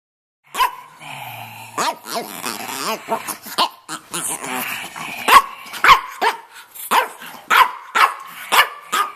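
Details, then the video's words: Stanley, a male red rough-coated Brussels Griffon about two and a half years old living in Miami, talking: wavering, yodel-like vocal sounds lead into a run of short sharp barks and yips, roughly every half second. "Stanley Talking"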